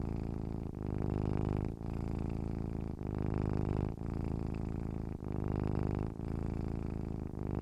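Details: Steady rumbling purr from a domestic cat, with short pauses about every second between gently swelling phrases. Nothing else is heard.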